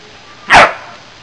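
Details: Bernese Mountain Dog with two puppies, one pup pestering her mother and sister; a single loud, sharp bark rings out, lasting a fraction of a second, against a quiet background.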